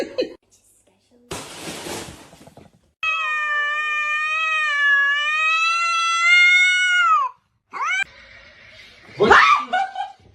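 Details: Cat in a small room giving a long, steady meow of about four seconds with stacked even harmonics, then a short rising meow; bursts of noise before it and a woman speaking and exclaiming afterward.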